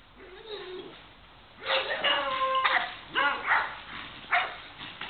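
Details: Beagle letting out drawn-out baying notes with wavering pitch, followed by shorter barks, after a faint low whine at the start.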